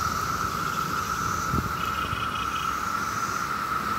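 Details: Steady, whining drone of a mass of 17-year cicadas on a nice summer day in Maryland, a constant high hum with a brief chirp and faint traffic rumble underneath.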